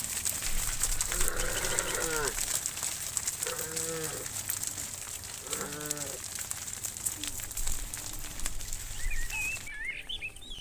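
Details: Tame cows in a herd wandering along the road home to the barn, mooing: three drawn-out, harmonic moos of about a second each, spaced two seconds apart, then fainter lowing, with bird chirps near the end and steady background noise.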